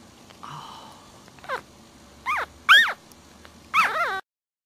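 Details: Week-old puppies sleeping and nursing: a soft low whimper at first, then a series of sharp, high, arching squeals spaced about a second apart, ending with a wavering double whine over quiet background rustling.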